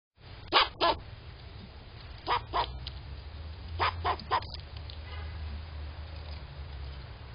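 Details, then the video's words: A tiny squirrel with a loud voice, calling in sharp, harsh barks given in quick groups of two or three, with pauses between groups, over a steady low rumble. "tiny squirrel 🐿️ loud voice"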